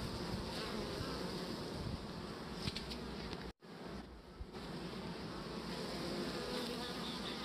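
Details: Honeybees with their queen on beeswax comb, a continuous dense buzzing hum broken by a brief near-silent dropout just past halfway, then the hum resumes.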